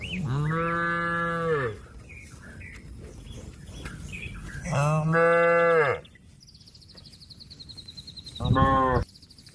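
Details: Cattle calling its companions back home to the pen: three deep, steady, harmonic moos, the first two about one and a half seconds long, the last shorter, with a rapid high bird trill in between.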